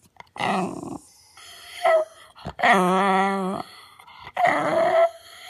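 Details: Retired show dog, six years old, making talk-like vocal sounds indoors: a series of moaning, warbling yowls with growly edges, one long steady groan in the middle, then a final rising whine.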